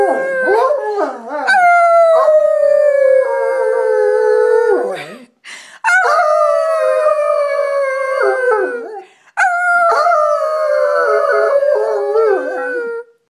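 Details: Black Labrador and coonhound cross howling indoors: three long, full-throated howls of about three to four seconds each, every one starting high and sliding steadily lower, separated by brief gasping breaks.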